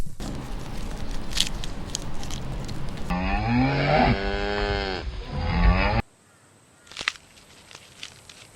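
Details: Cow lowing in a long, deep moo with stacked harmonics lasting about three seconds, preceded by dense rustling noise and followed by quiet background with a brief knock.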